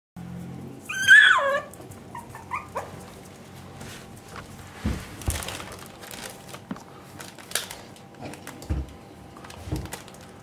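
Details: Parson Jack Russell Terrier puppies from one litter, 3.5 weeks old, indoors. A single high, wavering squeal rises and falls near the start, followed by soft rustling, handling thumps and faint clicks.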